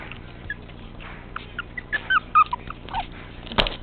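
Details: Tiny 13-ounce teacup Chihuahua puppy, a spunky male, lets out brief squeaky whines with a few bending high notes near the middle, then a sharp knock; soft indoor background.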